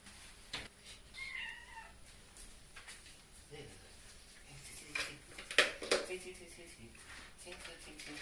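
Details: Domestic cat meowing during a bath it dislikes, trying to climb out of the water the whole time; one drawn-out, wavering meow near the start, with people talking and sharp splashing and knocking sounds around it.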